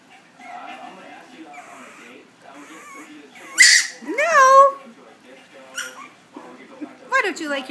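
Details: Ten-week-old Chihuahua puppy 'talking back' when asked about wearing a jacket: drawn-out, wavering yowls that rise and fall, one long outburst near the middle and a shorter one at the end, with a woman's coaxing speech between.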